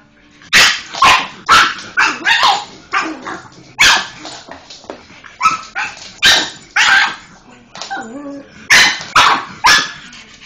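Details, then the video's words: Pug Molly going mental at a Hoover, firing off rapid, repeated harsh barks, roughly two per second, with a brief whining, wavering note midway. "Pug, Molly going mental at the Hoover"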